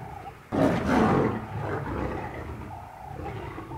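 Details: African lions fighting on the African savanna, a sudden harsh roar bursting out after a short quiet moment and holding for about a second, then dropping into lower, trailing growls.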